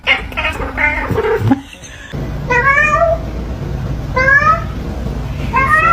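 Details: Domestic cat from a compilation of talking cats, giving short rising-falling meows with bright harmonics near the middle and end, after a burst of applause and human chatter in a room.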